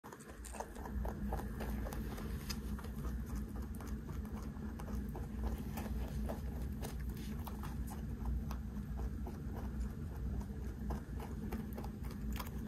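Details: Large 3.2 kg pet rabbit eating snacks it is fed, recorded close up as ASMR: quick, crisp crunching clicks repeated several times per second throughout, over a steady low hum.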